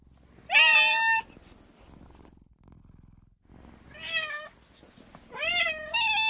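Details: Female cat meowing indoors: one clear, drawn-out meow, a quiet pause with soft low rumbling, then three more meows close together, the last ones rising and wavering.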